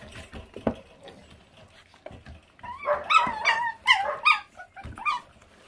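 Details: Pup of an abandoned feral dog whimpers while being fed, a burst of bright, wavering high yelps and whines bunched in the second half, with faint background noise and clatter.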